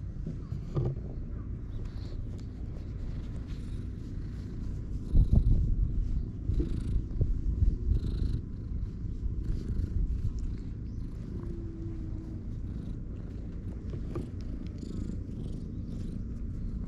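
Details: On a Japanese-style cat island, stray cats meet in the shade. A continuous low, grainy purr swells louder between five and eight seconds, then settles back to a soft rumble.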